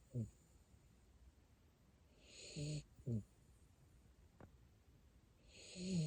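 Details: A sleeping Siberian Husky puppy in Japan snores softly, with low rasping breaths and breathy hisses spaced a few seconds apart, quiet between them.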